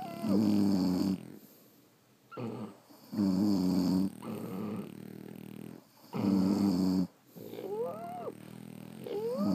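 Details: Sleeping French Bulldogs snore in a steady rhythm, roughly one rasping, rumbling breath every three seconds with quieter gaps, and thin rising whistled squeaks creep into the breathing near the end.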